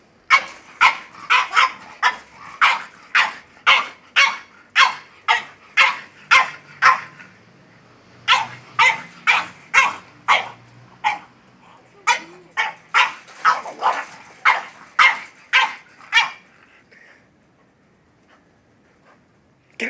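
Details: Excited French bulldog barking at a goat: a steady run of sharp barks roughly two per second, a brief pause near the middle, then another fast series that stops toward the end.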